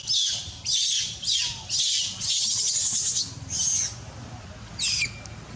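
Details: Adult monkeys cry loudly, wanting milk: short, harsh, high screeches come in bursts about every half second, one longer scream near the middle, then a pause before a final shriek.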